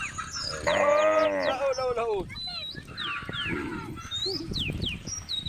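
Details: Tame female cow on a road beside rice fields gives a single harmonic moo of about one second that rises then drops away, followed by high chirping birds and faint background noise.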